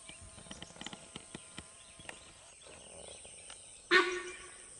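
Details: A sambar deer on Moyar road in Mudumalai Tiger Reserve gives a single loud, sharp honk, its alarm call, after a few quiet ticking sounds.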